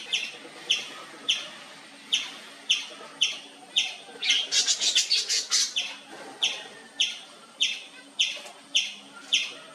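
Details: Indian palm squirrel chirping loudly and without pause: spaced shrill chirps with a quick burst of faster, higher rapid notes in the middle before the steady chirp rhythm resumes.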